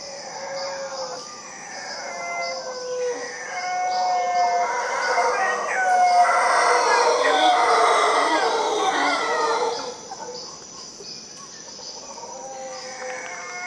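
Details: Howler monkeys in Costa Rica give a dense, rough roaring chorus that swells for about five seconds before fading, over whistled bird notes and a steady high insect drone.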